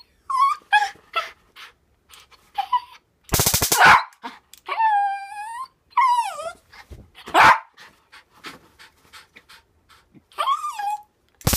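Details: Excited nine-year-old female dog, frantic to reach a taser, lets out short and long high-pitched whines and yips with rising and falling bends, mixed with two loud crackling taser bursts.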